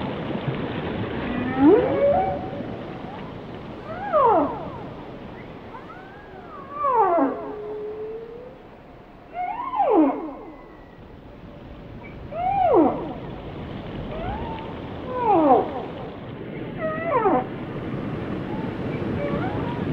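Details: Whale. Whale song fills the recording with long, sliding moans and whoops, some rising steeply and others dropping away. The phrases come roughly every two to three seconds over a low underwater hiss.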